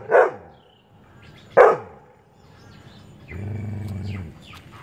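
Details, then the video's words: Labrador Retriever, a male, barking, annoyed by chirping birds. Two sharp barks come about a second and a half apart. A steady, low humming tone follows, with faint high chirps above it. "Labrador dog barking hardcore"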